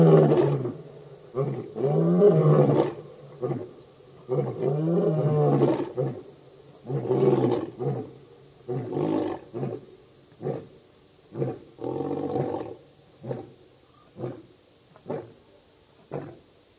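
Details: Birmingham Boys male lion coalition roaring at the dam, Djuma Game Reserve in Sabi Sand near Kruger Park, South Africa, August 11–12 2016; long full roars give way to a series of short grunting calls, roughly every second, fading out.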